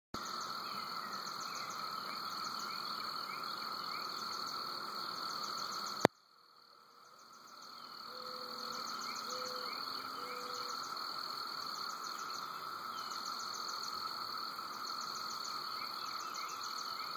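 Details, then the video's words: Cicadas calling at Woods Mill at 5:15 in the early morning: a steady, droning buzz with rapid high ticking pulses over it, a sudden click then a brief hush before the drone returns, and a few short whistled notes. "Cicadas in Woods Mill"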